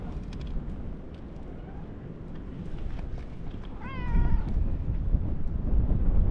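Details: At a fishing port, a lion-like orange tabby cat comes to greet, uttering a single clear meow that rises then falls, midway through, surrounded by gusty wind and low outdoor rumble.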